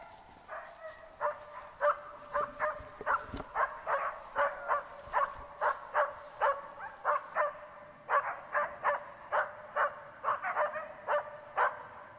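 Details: Search and rescue training with Tara, a Border Collie, barking rapidly and persistently in a long, slightly irregular run of roughly two barks per second, with a brief pause near the middle and a quiet background.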